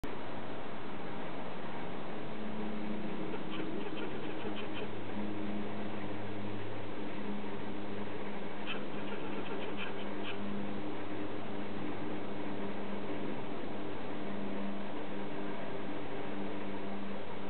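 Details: Western gray squirrel, disturbed by cats in a yard, giving hoarse barking calls in two short bursts of rapid, harsh notes, set against a steady low background hum.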